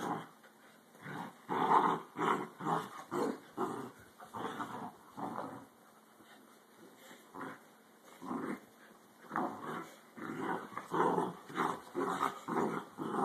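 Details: Dachshunds in a fight, recorded on a phone: a fast run of harsh, snarling growls, roughly two a second, loud and uneven, with a brief lull midway before the growling picks up again.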